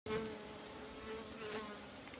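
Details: Wild Asian honey bees (Apis cerana) at a nest found in bushes, the comb full of honey; a steady humming buzz with a low droning tone, continuous throughout the short stretch.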